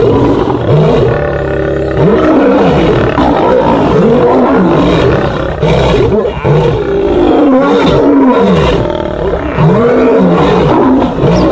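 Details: Fighting lions snarl and roar in repeated arching bursts, each call rising then falling in pitch, overlapping into a harsh, continuous low-pitched din with brief noisy scuffling between calls.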